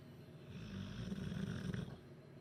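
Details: Huddersfield bulldog Duke sleeping off a chicken curry, letting out one long, grumbling, low-pitched snore with a rough, fluttering texture, swelling and fading over about a second and a half.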